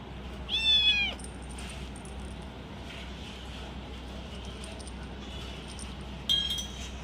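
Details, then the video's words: Small pet kitten vocalizing as it eats cat food, described as sounds of enjoyment and food protection; a loud, high, slightly wavering whine under a second long, quiet nibbling ticks, then a brief sharp high cry near the end. "little kitten eating food making noise||protect food"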